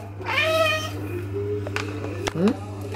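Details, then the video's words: Maine Coon cat producing a short falling meow early on, followed by clicks, thumps and a brief rising squeak while a woman talks in French; constant low hum. "Maine coon cat Hélios meows meows"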